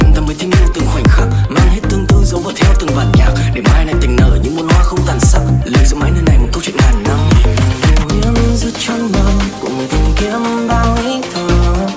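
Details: Loud electronic dance music with a driving beat of about one pulse per second plays throughout, and no animal is heard.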